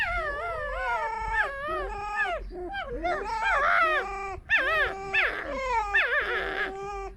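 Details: Female and male pet foxes rescued from a fur farm squeak while sharing a den, a harmless exchange; overlapping harmonic whining calls, wavering and dipping in pitch, nearly continuous for seven seconds with one brief break.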